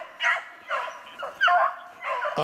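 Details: Beagles hunting snowshoe hare, 2/25/16: four short bawling yelps in quick sequence, with a man's voice cutting in at the very end.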